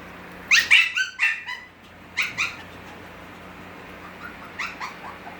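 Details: Six-week-old Havanese puppies of Gracie's litter give short, high yips in two quick bursts, the first near the start and the second past the midpoint, with softer, fainter yelps trailing off at the end in a quiet room.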